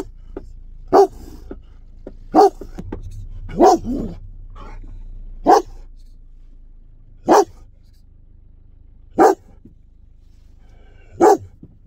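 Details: Aggressive German Shepherd barks, a fierce voice described as scaring people in the street; single loud barks about every one and a half to two seconds, with a brief cluster of rougher barks early on.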